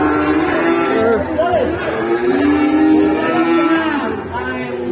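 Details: Fierce, rampaging cow at an Indonesian livestock stall, where goats also grew agitated. Drawn-out, harmonic lowing moos with wavering pitch fill the clip, overlapped by men's talk and shouting close by.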